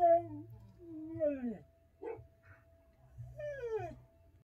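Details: Samoyed, together with a Husky, singing along with samples playing on the TV: three drawn-out, wavering howls that slide downward in pitch, separated by short gaps, over a faint steady electronic tone.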